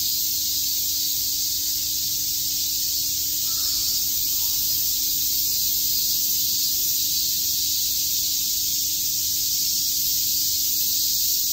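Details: Cicadas on a summer day in Shakujii Park, Tokyo, produce a steady, high-pitched hissing drone that never pauses.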